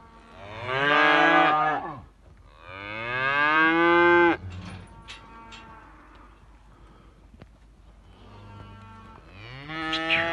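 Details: Simmental calf mooing loudly twice in a row, each bellow about two seconds long, strained and harmonic with a slight rise, then a quiet stretch with faint rustling before a third moo begins.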